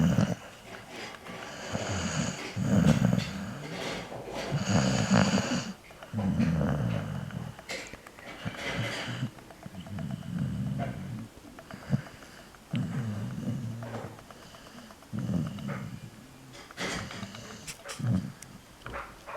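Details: Pet dog snoring: rhythmic low rumbling breaths repeated every one to two seconds, some with raspy, noisy upper tones, in a quiet room.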